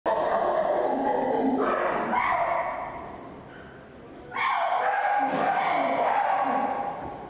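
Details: Captive chimpanzee chasing another chimpanzee and screaming with bared teeth, possibly seeking reassurance. The clip has two long, loud, shrill screams that waver in pitch, with a brief softer dip between them.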